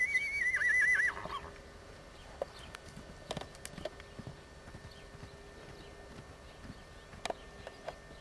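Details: JAS Benjamin, an Appaloosa sport horse gelding foaled 2008, half Thoroughbred, gives a loud wavering whinny that warbles up and down for about a second, followed by scattered hoof clicks and knocks.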